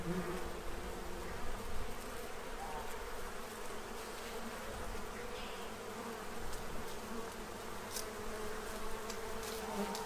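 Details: Bees feeding to prepare for winter in Central Illinois, drinking from a tray: a steady low droning hum of many wings with overlapping individual buzzes rising and fading, faint high chirps above.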